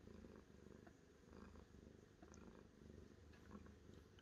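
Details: Cat purring steadily, a low rhythmic rumble whose pulses swell and fade with each breath, with no other clear sounds.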